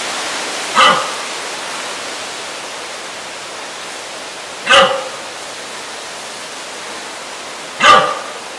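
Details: A red deer stag gives short, hoarse bellows a few seconds apart during the autumn rut (late September to early October) in Sierra Cebollera near Valdeavellano de Tera, Soria, Spain.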